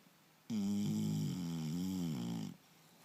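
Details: English Bulldog named Turbo, sleeping indoors and snoring loudly; a single two-second drawn-out snore with a droning, nasal, slightly wavering tone that starts and stops abruptly, with quiet room background.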